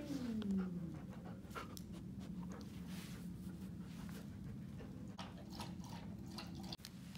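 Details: Shy Siberian Husky at an animal shelter gives one short whine at the start, sliding downward over under a second. Steady low hum and soft rustling noises follow.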